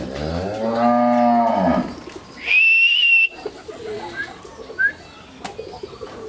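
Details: Two 14-month-old Friesian heifer calves on a farm in Pabna, Bangladesh; one gives a clear, harmonic moo lasting about two seconds that rises then falls, followed by a steady whistle-like tone and scattered faint background noises.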